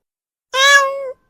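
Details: Domestic cat giving a single strange meow, about half a second long, steady and slightly nasal with a clear tone that tails off, in a quiet indoor setting.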